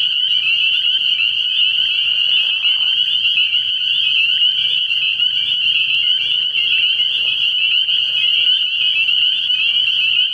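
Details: Spring peeper chorus after dark at a pond early in the year: a steady, piercing high-pitched mass of overlapping peeps, unbroken throughout, with a faint low hum in the background.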